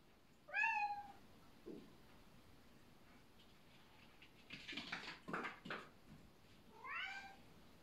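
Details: Bengal cat during a rank-order dispute: a clear descending meow, later a few rustling scuffs, then a second falling meow, in a quiet room.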